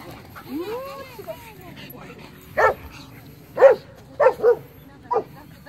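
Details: Dog, with a Pomeranian, Border Collie and Shepherd involved, giving several short, sharp barks and yips in quick succession in the second half, after a person talks over a hum of background noise.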